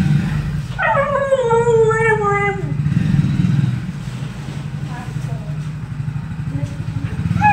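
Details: Reunited with her owners after a separation, Billu the female Siberian Husky lets out a long, drawn howl that slides slowly downward. Faint whimpers follow over a constant engine drone.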